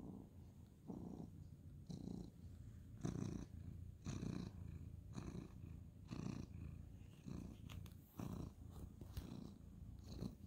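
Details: Ginger tabby tomcat being stroked at bedtime, purring; low rumbling purr swelling in regular bursts roughly once a second, close and steady, with light rustle of bedding near the end.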